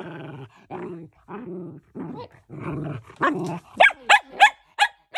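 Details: Shetland Sheepdog vocalising: a run of rough, throaty grumbles that builds into a quick series of sharp, yelping barks at the end.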